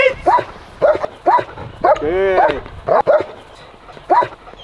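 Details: German Shepherd yipping about once a second, short arched cries with one longer wavering whine in the middle, a voice occasionally speaking alongside.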